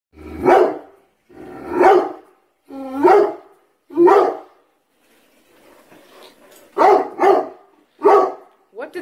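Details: Pet dog barking continually at a bathroom tub indoors for no apparent reason; loud, broad barks at uneven intervals, about seven in nine seconds, with a quiet pause mid-clip and some indistinct background noise.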